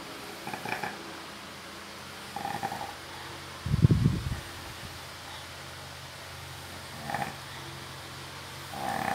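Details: Cacau, a female Labrador, snoring during a nap; low rumbling snores come in uneven bursts about every one to three seconds, the loudest near the middle, with a quiet room hum between them.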